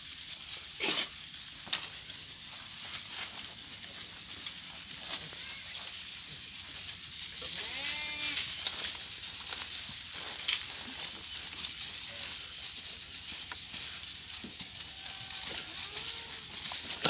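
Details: A farmed Dera Din Panah goat herd of white goats produces a few arched, nasal bleats, the clearest around the midpoint and near the end, over steady hiss and occasional distant voices.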